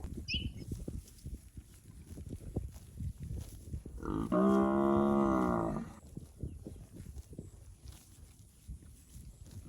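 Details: Roaming through rice fields, one of a herd of fat, healthy village cattle bellows a single drawn-out, level moo of about two seconds over a steady low rumble of outdoor noise.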